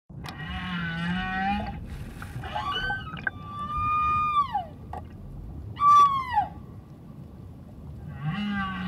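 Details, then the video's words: A humpback whale sings underwater off Moorea, French Polynesia, on October 15, heard near a diver while somersaulting: long moaning tones and higher wavering cries that slide downward, powerful enough to vibrate through the chest. "Diver Serenaded With Underwater Whale Song"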